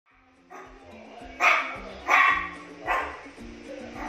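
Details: Miniature Pinscher barking at his own reflection in a mirror, seeing himself for the first time: three sharp, harmonic barks spaced under a second apart over steady background music.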